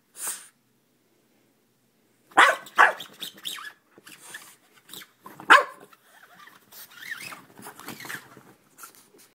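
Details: A little French Bulldog goes crazy attacking a lint roller, giving a few sharp, gruff barks followed by quieter grumbling and whiny noises.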